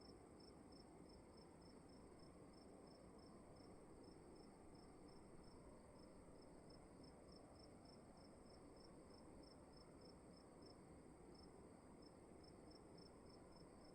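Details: In a still room, crickets repeat crisp high chirps at an even pace of about two per second, over a constant low-pitched background drone.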